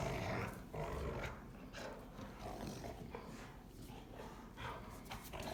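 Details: Two Rottweilers playing together and arguing about who is tougher: low, rough, rumbling growls run throughout, broken by harsher noisy bursts roughly every second, with scuffling sounds of the play.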